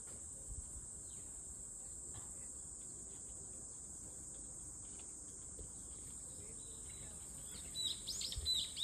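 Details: A cicada's steady high hiss continues throughout; near the end a bird adds a short burst of quick, bright chirps.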